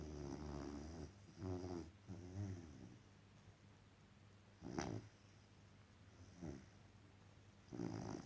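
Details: Dog asleep after an exhausting day, snoring softly: low, rumbling breaths roughly every second at first, then fainter snorts spaced a few seconds apart in a quiet room.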